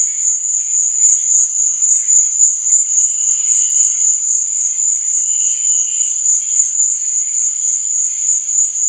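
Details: At night, crickets keep up a sustained, sharp high-pitched trill without gaps, with quieter mid-pitched chirps flickering underneath and two tiny clicks.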